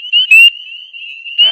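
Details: Spring peepers (Pseudacris crucifer) in early April: a male gives loud, high, piercing peeps over a steady ringing chorus of many others; the loud call lets an individual hidden in dense vegetation stand out to attract mates.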